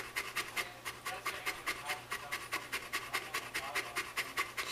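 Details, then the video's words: Female Saint Bernard named Shelby panting during summer, as she does every day: rhythmic airy gasps roughly two per second, slightly uneven pace, a faint voice in the room. "The Saint Bernard That Never Shuts Up"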